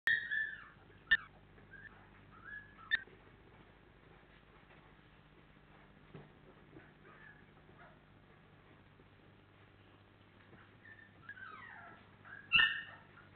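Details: Labrador Retriever puppies, 28 days old, giving scattered thin, high whimpers and whines, some rising then falling. Several sharp clicks and knocks punctuate the quiet between cries.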